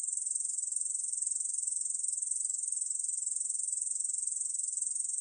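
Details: Close, rapid pulsing buzz of a Korean bush cricket, 2020 National Institute of Biological Resources recording; the high trill shows fine, quick throbs several times a second without pause.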